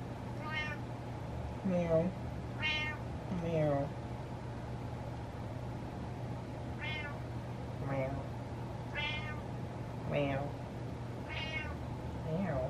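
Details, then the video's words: Butters, a male pet cat, meows repeatedly to get his way. High, tonal meows come every couple of seconds, and some rise and then fall. A person answers with spoken words and imitated meows, with a steady electrical hum behind. "Cat Gets What He Wants By Meowing"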